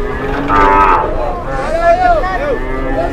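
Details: A big bull struggling to board a truck in Indonesia while a crowd watches: a short loud bellowing moo, wavering pitch, amid shouting voices and loud background noise.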